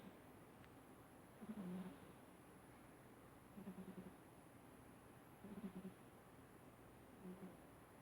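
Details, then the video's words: Harley Quinn, a 14-year-old female domestic cat, snoring while asleep; soft low rumbling snores repeat about every two seconds over a quiet background with a faint steady high whine. "My roommate's cat snoring"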